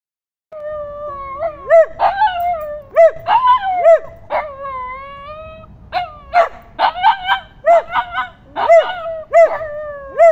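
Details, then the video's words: Happy dogs singing in the woods in Liverpool: several voices overlap in tonal, wavering howls and short arched yelping notes, some held and gently falling, others quick and bouncing, in bursts roughly every half second. "Singing dogs"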